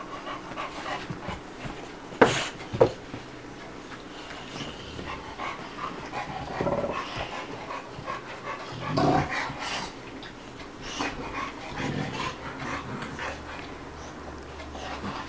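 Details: Two dogs at play together, Bubba, a two-year-old American Bulldog, and Ruby, a five-month-old Dogue de Bordeaux: uneven, breathy panting runs throughout, broken by a couple of sharp knocks and brief louder huffs, in a small indoor room.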